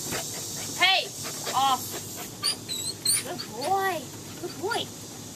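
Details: Samoyeds Sara Blue, Iroh and Rigel, one trying to get another out of the house, trade arched, harmonic whining yelps in quick bursts about every second, with faint high chirps in the background.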